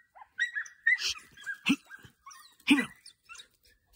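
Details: Young Podencos at a training outing give excited yelps and short harsh barks, several strong ones in four seconds, over a thin continuous whine.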